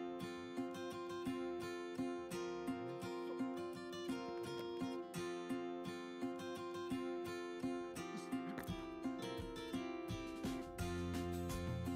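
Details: Steady strummed acoustic guitar music plays throughout, with no other sounds.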